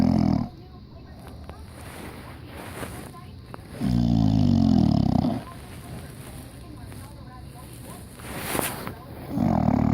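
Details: English Bulldog wearing diapers, asleep and snoring loud; three deep, rasping, low rumbling snores, each about a second long, recurring every four to five seconds with soft breathing between.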